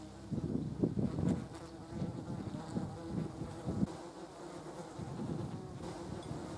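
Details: Several German wasps (yellow jackets) feeding on a jar of jam: low, uneven buzzing that swells and fades in short bursts as the insects shift and take off, with quiet gaps in between.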